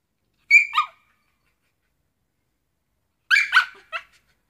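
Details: Shiba Inu dog vocalizing while wanting to have a net. Two bursts of sharp, high yipping barks: a quick double yip, then about three seconds later a tighter run of three yips, with silence between.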